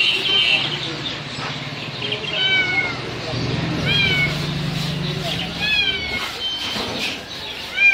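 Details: At a Sunday bird market in Lalukhet, Karachi, a Persian cat for sale gives repeated high, thin, arching meows over a murmur of voices and crowd noise.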